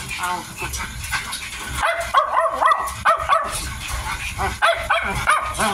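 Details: A 55-day-old Miniature Dachshund puppy eating gives a run of short, high whiny yips in quick arched notes, clustered in the middle and end, with chewing and background noise.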